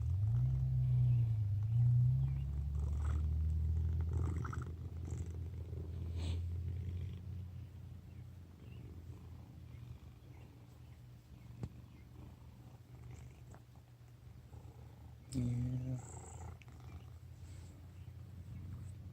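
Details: Fat domestic cat asleep, snoring in a low rumbling rhythm, strongest in the first seven seconds, then fading to a quiet hum; a brief rustling disturbance near fifteen seconds.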